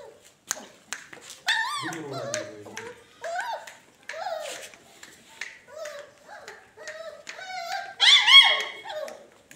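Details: A 45-day-old toy poodle puppy settling into its new home gives a run of short, high, wavering whines and yelps that rise and fall in pitch. A sharper, louder yelp comes near the end, and people talk nearby indoors.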